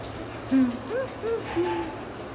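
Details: Golden Retriever whimpering: four thin, tonal whines, each sliding up or down in pitch, the first lowest and later ones higher, over a steady low background hum, with a person's voice following.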